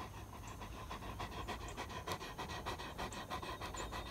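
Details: Great Pyrenees farm guardian dog riding in a Kubota utility vehicle, panting in quick, fairly steady breaths, about three per second, over a constant engine hum.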